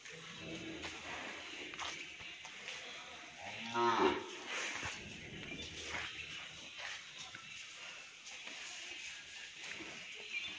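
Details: Hallikar stud bull at Thattekere, Maralavadi Hobali, Kanakapura Taluk, giving one short harmonic moo about four seconds in, over steady background hiss and faint scattered noises.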